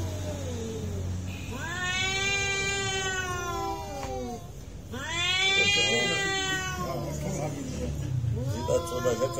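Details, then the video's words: Cats squaring off in a real fight, two drawn-out, wailing yowls that rise then droop, followed by shorter choppy cries, over a low background rumble. "real cat fight with sound"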